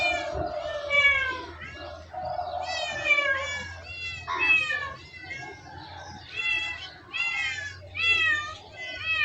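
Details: Cats in a funny-moments compilation mewing in a quick, uneven series of high, bright, wavering meows, some short and some stretched, over a low steady hum with faint voices mixed in.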